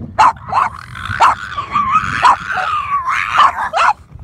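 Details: Barking from Boston Terrier pups meeting dolphins, playful and jumping about at sunset; five punchy barks over a continuous wavering whine-like tone, busy and excited throughout.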